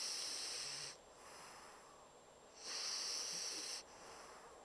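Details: Bumble, a Pocket Bulldog, snores in deep sleep like a much bigger dog. Two sharp, hissing, whistly breaths are separated by a quiet gap of almost two seconds.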